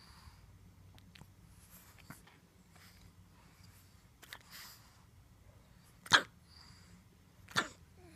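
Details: Pug indoors giving two short, sharp, snorting sneezes about a second and a half apart near the end, over a quiet room with faint rustling and low hum.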